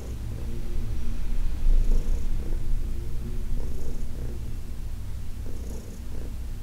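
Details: Heidi, a senior domestic cat adopted from the Humane Society of New York City, purrs during a massage: a steady low rumble with soft breathy bursts roughly every two seconds.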